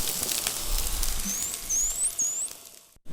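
A white-beaked dolphin gives three short, very high whistles in quick succession, each sweeping upward in pitch. A constant crackling hiss of underwater noise runs beneath them.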